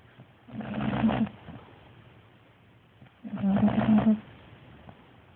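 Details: Sleeping bulldog snoring loudly: two long rasping snores about three seconds apart, each a buzzy, harmonic-rich rumble lasting under a second, with quiet breathing between.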